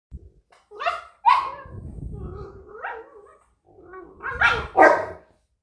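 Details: A Rottweiler correcting a 10-week-old Cane Corso puppy gives gruff, explosive barks, with a low, rough growl rumbling steadily between them, a warning for the puppy to back off and mind its manners.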